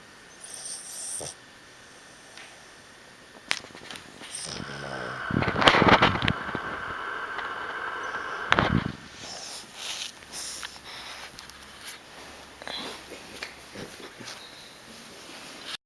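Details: A seven-month-old Boston Terrier snores with rough, rasping breaths, loudest in a burst midway through.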